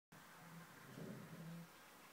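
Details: Petey, a pet dog, growling at something invisible: a low, steady, throaty rumble lasting about a second and a half, swelling slightly in the middle, in an otherwise quiet room.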